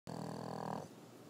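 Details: French Bulldog snoring indoors: one low, rough, rumbling breath lasting under a second, then it fades.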